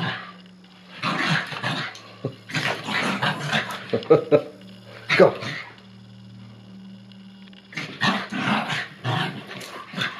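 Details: Two Bichon Frise dogs, Frannie leashed and Pierre teasing her in play; clustered growls and barks in separate bouts with quiet stretches between, a steady low hum underneath and a person talking.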